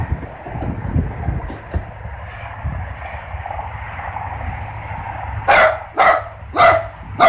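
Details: Dogs, a Great Pyrenees and a mini dachshund, heading outdoors to make sure everything is fine. A low steady background hum fills the first five seconds, then four loud, harsh barks follow about half a second apart.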